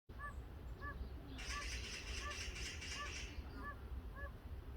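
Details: Oriental fire-bellied toads calling for a mate nearby, faint and soft: short tonal hooting notes repeated about every half second to second, with a burst of hissing broadband noise in the middle and low rumbling background.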